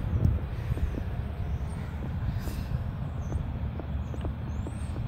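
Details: Low, steady engine rumble of passing vehicles fills an outdoor scene, with scattered soft clicks and no animal voice.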